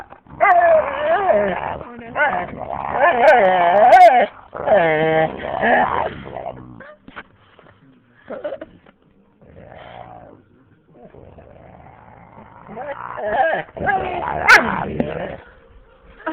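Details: Husky and boxer playing together, the male husky not letting the boxer rest on a lap; bursts of warbling growls, grumbles and whimpers separated by quieter gaps, with a person speaking and faint music in the background.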